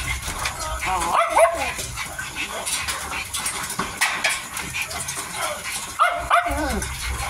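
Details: 55-day-old Miniature Dachshund puppy eating, giving short arched whining yelps in two clusters, near the start and again near the end, over steady wet chewing and clicking sounds.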